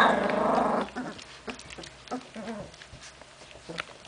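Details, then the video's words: Genny's puppies on 14 June 2013: a long rough growling burst opens, followed by soft scattered whimpers and small yips with quiet gaps. "LES CHIOTS DE GENNY 2"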